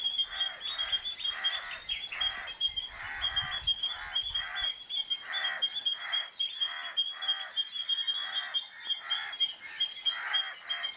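An Indian palm squirrel calls in quick, regular chirping bursts, several each second, a sharp alarm given when danger threatens to distract the enemy. A thin, constant high buzz of insects runs underneath.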